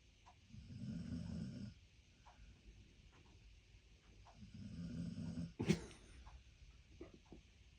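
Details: Snoring American Staffordshire Terrier called Boy: two long, low, rattling snores about four seconds apart, with a sharp click or snort-like tap just after the second.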